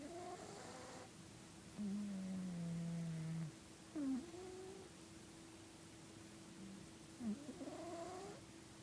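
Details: Sleeping domestic cat snoring loudly: a low, droning nasal tone held for about a second and a half, then short whistled rising snorts, like a nose trumpet. A steady electrical hum runs underneath.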